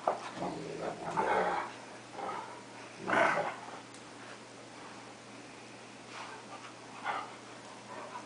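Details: Two pet dogs, a cocker spaniel and a 3/4 wolf 1/4 akita, play-fighting; rough growls and short barky bursts come in uneven clusters, loudest near one and three seconds, with quieter gaps between.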